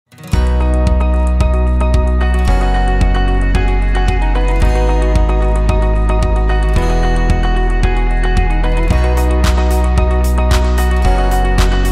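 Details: Steady instrumental music with repeated low bass notes and bright chiming tones plays throughout, with no animal voices audible.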